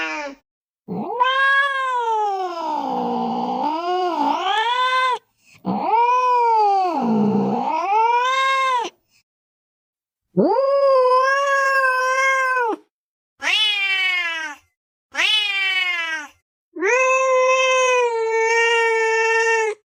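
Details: A cat caterwauls with long, low, wavering yowls that dip and rise in pitch, then gives shorter, higher meows and a final steady wail, a sound meant to scare a baby into sleep and chase off mice.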